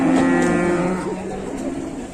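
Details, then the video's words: Fierce cattle from a group being unloaded off a truck in Indonesia give a loud, harmonic moo that holds steady for under a second, then drops lower and fades, over background crowd noise. "KUMPULAN SAPI GALAK SEREM BIKIN TEGANG TURUN DARI TRUK"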